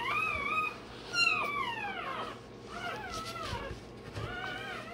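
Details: A one-day-old Rottweiler pup having its tail and dewclaws done cries loudly in long, drawn-out, falling wails, one after another, with a humming room in the background.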